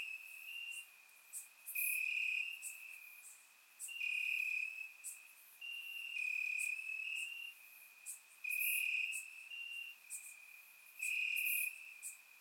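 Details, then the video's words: Warm summer night in Bulgaria, crickets chirping in the grass, surround microphone; shrill trilled bursts of roughly a second alternate with quieter stretches, several callers overlapping, plus scattered very high clicks. "Cricket Sounds - Crickets Chirping at Night"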